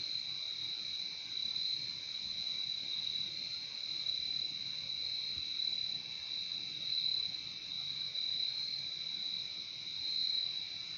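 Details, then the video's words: Nature recording of crickets: a continuous shrill, ringing insect chorus at a steady level with slight swells in loudness, the high trill never pausing, and no birds or voices heard. "Relaxing sound of crickets"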